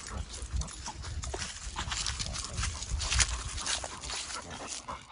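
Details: Pekingese named Winston hurrying on a nature walk at Charleston Lake Provincial Park to catch up with a faster German Shorthaired Pointer; rough, rapid breathing bursts roughly twice a second, mixed with crunching leaves underfoot.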